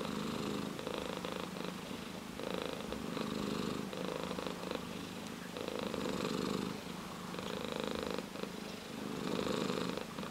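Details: Orange tabby cat giving a sustained, buzzing purr heard up close; the rumble alternates between louder and quieter stretches of one to two seconds as the cat breathes in and out.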